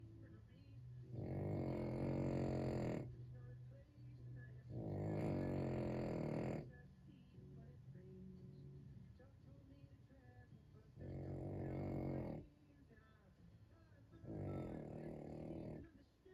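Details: A sleeping French Bulldog snores loudly. Long, rough, droning breaths of about two seconds each come roughly every three to four seconds. They are rich and buzzy, with quieter gaps between them.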